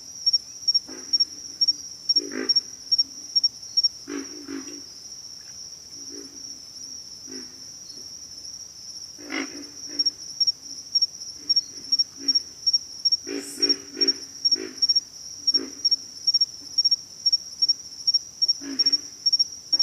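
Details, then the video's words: Pig frogs giving low, pig-like grunts in short bursts, sometimes doubled or in quick clusters, scattered irregularly through the recording over a steady high-pitched insect whine. "pig frogs - sound effect"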